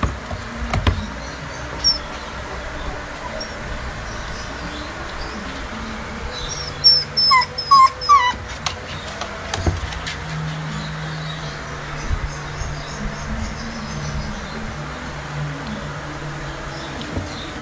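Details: Peachi, a female Japanese Spitz, gives a brief run of thin, high whimpers around the middle, several closely spaced squeaky notes, against a steady low indoor hum.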